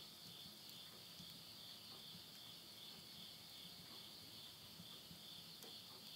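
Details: Midnight insect chorus in rural Yurihama, Tottori, Japan, end of summer, September 2020: shrill, evenly sustained high buzzing trill with slight rapid pulsing, punctuated by scattered snaps of wood burning in a stove.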